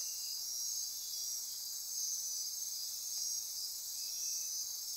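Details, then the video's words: Nocturnal insect chorus in Costa Rican rainforest near Corcovado National Park on the Osa Peninsula, at midnight: a dense, steady high shimmering buzz with pulsing trills layered above, plus a fainter lower trill drifting in and out. "Midnight Insect Chorus"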